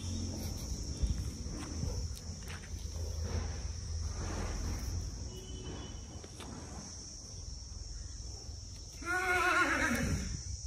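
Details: Marwari horse at a stud farm in India; steady low rumble and scattered knocks for most of the recording, then near the end one loud, wavering whinny lasting about a second and a half, with rich overtones and falling pitch.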